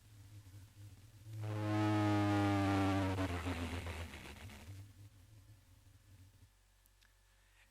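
A blue whale's D call, a deep, droning tone that shifts in pitch across a broad range.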